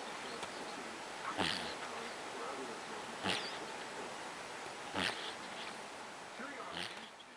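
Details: Snoring Sphynx cat: rough, airy snorts arrive roughly every one and a half to two seconds, each a brief broad rasp, against faint steady background noise.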